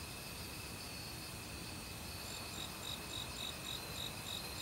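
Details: Autumn crickets calling in a Korean forest at night alongside other insects, a steady high pulsed chirping repeated several times per second over a constant hiss that may include stream water.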